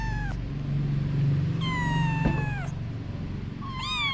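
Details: Mother cat Anna with her kittens: three falling, harmonic-rich meows, a short one at the start, a long one near the middle and a rising-then-falling one at the end, over a steady low hum.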